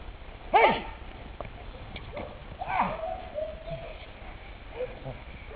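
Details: Smolicek, a ten-month-old German Shepherd K-9 in bite training, gives one loud sharp bark, then softer yelping and whining sounds amid background noise.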